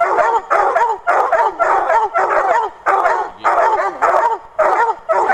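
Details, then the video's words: Three young Redbone Coonhound littermates of Machine Gun Jack bloodlines baying at a caged raccoon; overlapping loud, hoarse, ringing bawls repeated rapidly in bursts, nearly continuous chorus. "redbone coon hounds on a caged coon"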